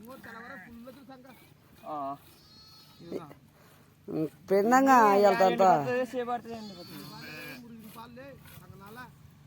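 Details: Domestic sheep during milking gives a loud, wavering, quavering bleat of about one and a half seconds in the middle, with speech before and after.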